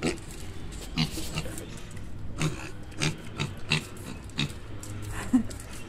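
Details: Mini pig in Medellín performing tricks on spoken commands such as turning around; short low grunts at scattered intervals, mixed with clicks, shuffling steps and brief words of praise in Spanish.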